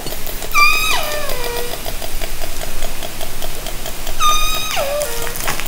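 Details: Two downsweeping orca calls about three and a half seconds apart, each starting high and bright then falling and trailing off. Captured underwater with a hydrophone from a kayak in Haro Strait during summer 2010, over steady water hiss.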